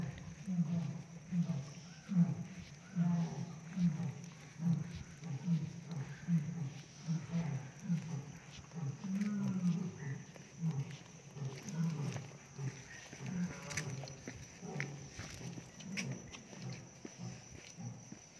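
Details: A Royal Bengal tiger at Nandankanan Zoological Park, Odisha, India, gives deep, rumbling grunts about once a second, seen up close, with people talking nearby.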